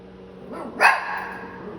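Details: Shih Tzu puppy from San Antonio, Texas, giving a single short, sharp yappy bark near the middle of the clip, rising quickly and fading into a soft tail, over a low steady electrical hum and quiet room background.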